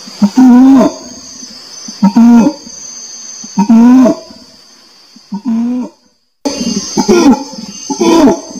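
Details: Repeated orangutan hoots, level then dipping, come about every two seconds. A brief silent break interrupts them before the calls resume, louder and more rapid. A steady insect buzz runs high above throughout.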